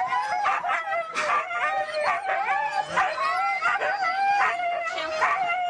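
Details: Excited Siberian huskies at a race in East Anglia howl and yip together, sliding high wailing tones stacked over one another with sharp yelps breaking through, loud and continuous.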